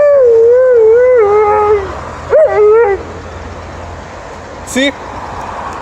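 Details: Alaskan Malamute in Upper Šiška giving a welcome-back howl: a long wavering, tonal howl, then a shorter rising-and-falling howl, followed by quieter background and a brief higher yelp near the end.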